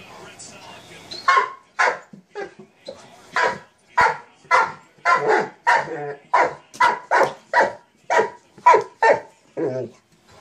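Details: A Mastiff playing with a sock monkey jack-in-the-box gives a run of short, deep barks, roughly two per second and irregularly spaced, with a human voice possibly mixed in near the start.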